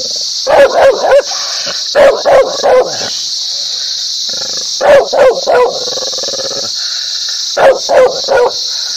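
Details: Dog barks in rapid clusters of three or four, each cluster spaced a couple of seconds apart, harsh and mid-pitched, with a persistent high hiss running underneath.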